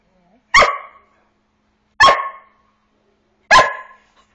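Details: Young Border Collie corVata, eight months, asking to play with three loud, clipped barks evenly spaced about one and a half seconds apart in a quiet room.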